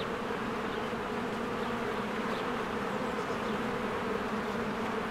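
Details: Swarms of honeybees working at a cozy hive among spring blossoms; an even, layered buzzing hum holding steady from start to end, with faint distant bird notes.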